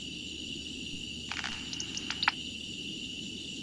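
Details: Southern yellow bat echolocation calls, identified by a bat detector app and recorded about 45 minutes earlier, played back in a different listening mode. A short flurry of sharp clicks lasts about a second over a steady hiss.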